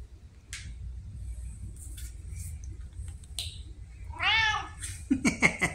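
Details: Red tabby cat Pumpkin, a talkative female indoor pet, October 2023, lets out a single strong arched meow near the end, followed by quick scratchy rustling; soft clicks and a low background hum before it.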